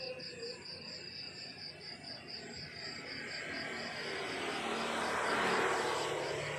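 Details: Morning cricket chorus in the countryside: rapid, even, high-pitched chirps, roughly four per second, continuing throughout while a vehicle's engine swells in the background toward the end.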